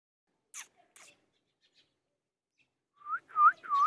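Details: A golden retriever puppy gives three thin, high whines, each rising and then sliding down.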